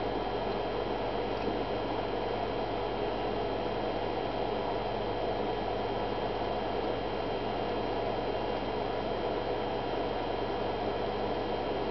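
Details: A steady, even hum fills an indoor space, with a constant fan-like hiss and low droning tones and no animal calls.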